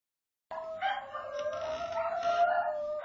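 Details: Shetland Sheepdogs howling together indoors, sustained wavering tones starting abruptly after half a second and holding steady, with overlapping voices weaving above and below and a brief louder rise near the end.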